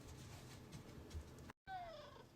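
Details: Pet cat meowing indoors because it wants to go outside: a short falling tonal meow with clear overtones near the end, after low room noise and a brief cut.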